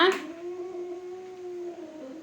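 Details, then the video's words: A sharp opening cry gives way to a level, droning, low yowl held for nearly two seconds and then trailing off, from two domestic cats fighting. "Cat fighting videos"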